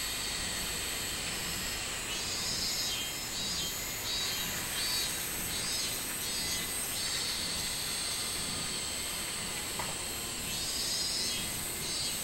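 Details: Minmin cicada, 24 July 2016: loud shrill buzzing in uneven swelling pulses, strongest at the start and end, layered over a steady high insect hiss.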